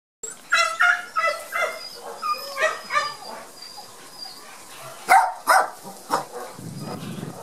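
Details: Border Collie puppies from the Gem and Sky litter, shy on their first outing into the garden after their first vaccination, give a string of high, short yelping barks in uneven bursts, with a brief rustle near the end.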